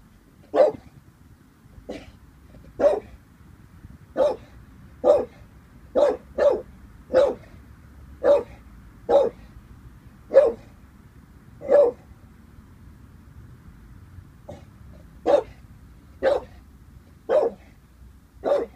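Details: Staffordshire Bull Terrier named Vinnie, 18 months old, barking while unsure of a balloon; sharp single barks spaced one to two seconds apart, with a pause near fourteen seconds, and a person murmuring soothing words.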